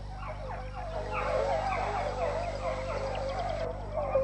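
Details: Four or five hunting hounds in training at Domaine du Bien Aller, a 22-hectare wild boar park in Isère, France, give tongue while closing in on boar: overlapping wavering, howling bays in a continuous chorus, with a low steady hum beneath.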